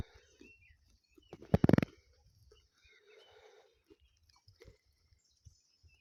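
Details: Sheep grazing, with a sudden short cluster of loud tearing, crunching bites of grass, then quiet scattered munching and chewing noises. Faint bird chirps sound in the background.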